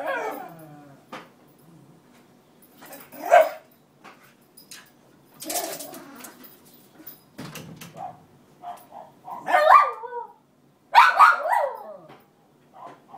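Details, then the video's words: A cairn terrier, Roxy, whimpering and yipping for her bed back from the other dog beside the radiator; scattered knocks and rustles between quavering cries and two bursts of high squealing yips. "Roxy the cairn crying and barking to get her bed back."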